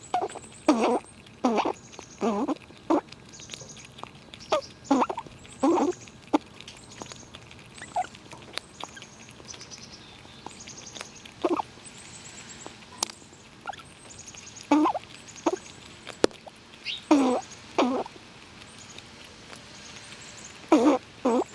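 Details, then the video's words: Several wild squirrels in winter eating nuts and pushing each other around: sharp crunching and gnawing bursts in irregular clusters, with quiet gaps between bites. "Squirrels Eating And Making BIG Sounds! 12 Minutes of Eating Nuts"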